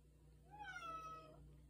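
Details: Female house cat calling at night, wanting to be let outside: a single clear meow that rises, then slides slowly downward, heard indoors against a faint low hum.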